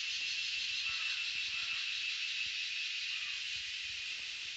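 A chorus of cicadas makes an unbroken, high-pitched buzzing hiss, as even as static. Faint low knocks and rustles sit quietly beneath it.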